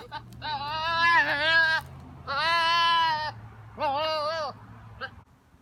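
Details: Nigerian Dwarf goat, a male bossing his herd on a ranch, lets out three drawn-out, harmonic, human-sounding screams, each about a second long with a wobbling pitch, over a faint steady low hum.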